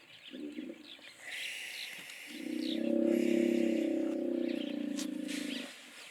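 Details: Soft low grunt, then a longer, louder pulsed hippo bellow of over three seconds swelling and fading, while small birds chirp quietly in the background.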